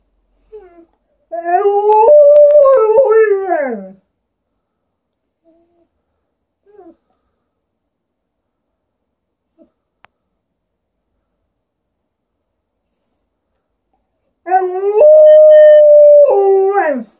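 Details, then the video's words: Alaskan Malamute vocalizing in conversation with its owner: two wavering, talky howls with rising and falling inflections, the first about two and a half seconds long and falling away at the end, a long quiet gap, then a steadier second howl. "Alaskan Malamute having a conversation with the owner"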